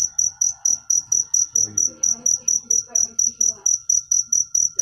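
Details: Shrill cricket chirps pulse at an even pace of about four per second, backed by a faint steady hum and quiet low sounds.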